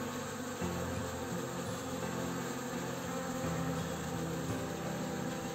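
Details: Honey bees at an apiary during the orientation flight of young bees, recorded on 24 May 2021: a steady dense droning hum with low harmonic tones, continuous throughout with no pauses.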